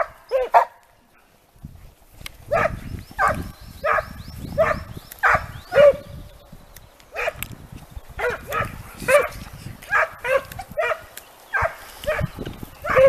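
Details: Segugio Italiano hounds trained on hare give rhythmic ringing bays, roughly one or two a second, over a low rumble and rustling, with several voices overlapping as the pack works the trail.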